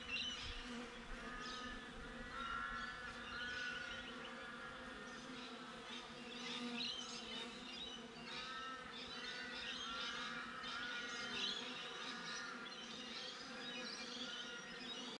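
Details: Honey bees around a beehive, recorded by a GoPro set outside the hive: a soft, steady, low droning hum throughout, with birds whistling and chirping over it.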